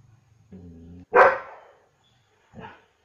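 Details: German Shepherd dog barking: a low steady hum for half a second, then one loud harsh bark, and a softer short bark about a second and a half later.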